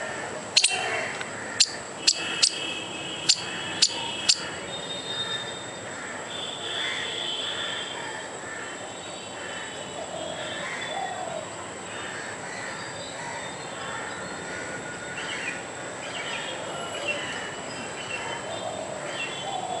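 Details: A squirrel trying to scare off a dog and the person filming makes furious, rapid, repeated chattering alarm notes over a thin, steady high hum.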